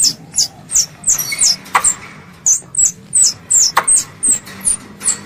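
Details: Squirrel, described as a pest, calling its mother: high, thin squeaky notes, each sliding downward, given in quick irregular series about three per second, with occasional sharp broadband clicks.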